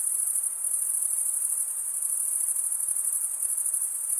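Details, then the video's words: Continuous high, shimmering trill of chirping crickets, the males stridulating with their wings; a fast even pulse runs through the steady tone with no pauses and no other voices or noises. "Most relaxing cricket sound"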